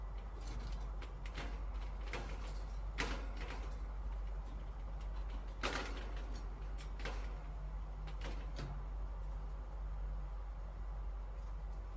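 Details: Low mechanical rumbling with creaks and clicks like a sliding door; no animal voice. Only household or mechanical noise is heard, with no bird or other animal calling.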